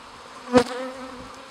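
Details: Honey bees at a hive in Guillestre, Queyras, France: a steady droning hum with a steady low tone, broken by one brief louder buzz of a bee passing close.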